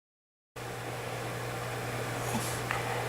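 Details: Brief silence, then a continuous low appliance-like drone with faint hiss and a couple of tiny knocks, with no animal sound.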